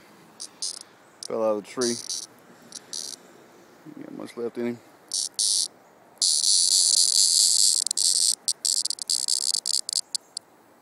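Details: Cicada heard in summer, one that fell from a tree. Loud, dense, high-pitched buzzing runs steadily through the second half, broken by short buzzy bursts earlier, with a man talking briefly.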